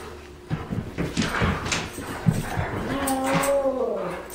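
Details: Rescued New Guinea singing dog kept as a pet, howling in short spurts in the morning to greet the new day rather than to play or go out; one brief wavering tonal howl near the end, amid clicks and tapping.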